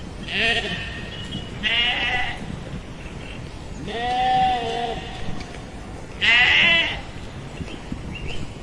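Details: Sheep bleating four times over several seconds, wavering nasal baas with bright harmonics, the second and fourth calls louder and shorter, the third drawn out with a slight downward slide.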